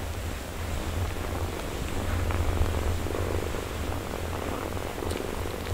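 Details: Mother cat caring for her four-day-old kittens she is nursing: steady low rumbling purr, a continuous pulsing drone, with faint soft rustling above it.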